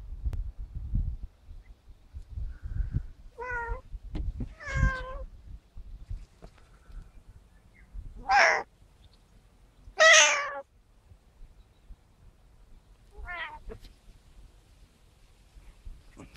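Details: Domestic cat meowing while its owner chats with it in Russian and asks if it is hungry: two harmonic, falling meows around four seconds, then two louder, strained meows near eight and ten seconds and a short final one; quiet room.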